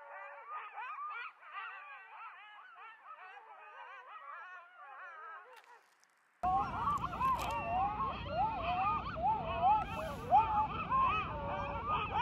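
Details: Several coyotes howl and yip together around the recordist at Starbase, a wavering chorus of sliding, overlapping notes.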